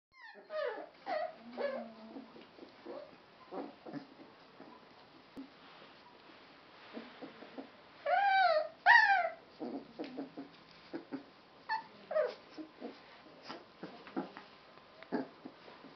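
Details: Sealyham Terrier puppies, a litter three and a half weeks old, giving scattered short squeaks and thin whimpers, with two louder rising-falling yelps in the middle; quiet stretches between the calls.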